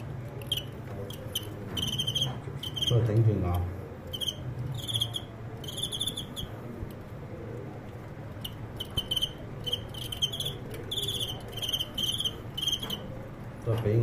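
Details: Crickets sparring in a fight, one fighter turning defeat into victory: bursts of shrill, pulsed chirping repeat throughout under a man commenting in Cantonese, with low handling thumps and room hum.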